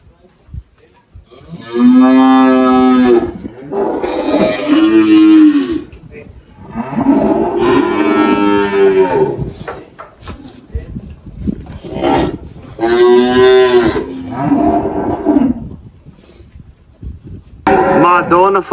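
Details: A spotted 18-year-old Girolando cow named Malhada lows repeatedly on a farm in Anápolis, Goiás, Brazil, March 2023, soon after giving birth to a heifer calf. Four or five drawn-out moos follow one another with brief pauses.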